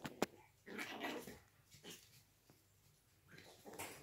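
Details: Registered Yorkshire Terrier puppies from an Austrian breeder, play-fighting: a sharp yip, then rough snarling growls and short yappy bursts, with quiet gaps between.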